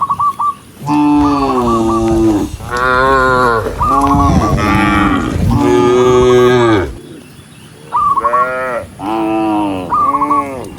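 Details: Dozens of large, tame cows herded through the countryside; loud, long harmonic moos follow one another almost without pause, several overlapping, some rising then falling, with a higher brief whine between calls.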